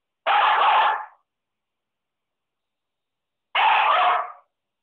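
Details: Lab-Pit mix puppy, female, giving two short, sharp barks or yips about three seconds apart, each under a second long, with silence between.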